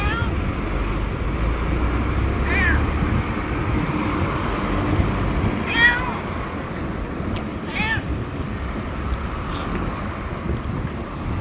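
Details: Small, very talkative stray black cat befriending a visitor outside a LAWSON convenience store, August 2024; several brief bent meows a couple of seconds apart over constant low road noise and murmured speech.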